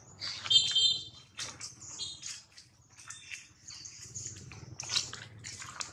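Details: Loud crying from baby monkey Jinx, bitten hard by Jade: piercing, tonal squeals in short bursts near the start, followed by broken, scratchy shrieks and squeaks over a faint low hum.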